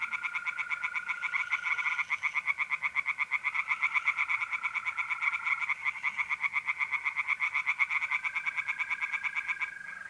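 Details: Pond tree frogs calling at night, mid-April, north-east Italy: a dense, fast pulsed croaking chorus holds for ten seconds, backed by the smooth ongoing trill of mole crickets.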